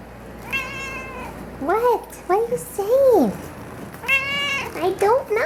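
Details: Pet cat Mish Mish gives two drawn-out, harmonic meows, with a person's cooing speech between and after them and faint music underneath.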